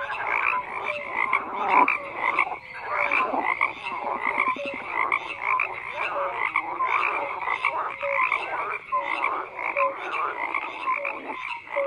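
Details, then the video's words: Many frogs calling at once in a thick, continuous croaking chorus; rough rattling pulses overlap with brief clear notes, repeating without pause. "FROGS CROAKING"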